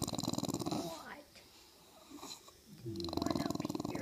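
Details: Ten-month-old female English bulldog 'talking' indoors to ask to join her owners on the couch: two bursts of low, pulsed, throaty grumbling with a buzzy harmonic tone, separated by a quiet gap of about two seconds.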